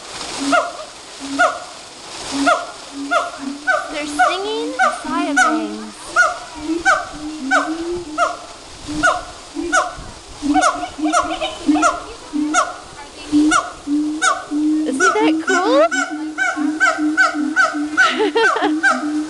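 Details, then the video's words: Captive monkeys at Woodland Park Zoo in a long singing bout: rapid, evenly spaced hooted notes with falling pitch, repeated almost twice a second, interrupted by a few swooping rising cries, over a constant wash of running water. "Singing Monkeys"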